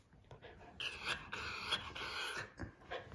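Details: Pet dog whining with a thin, high, drawn-out 'hee-hee' cry while drooling in front of its dinner. The whine holds for about a second, then breaks into short broken whimpers, with faint household noise behind.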